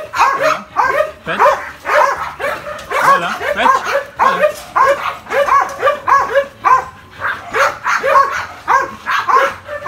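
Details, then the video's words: Nearly two-year-old Belgian Malinois barking steadily, quick high-pitched yipping barks repeated close to twice a second with slight irregular spacing, continuing without pause through the recording. "Belgian Malinois almost 2 years old"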